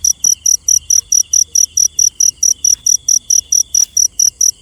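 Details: Shrill, clipped chirps from a cricket at night, about four a second in a regular beat, with a faint whining tone and a dull low hum behind.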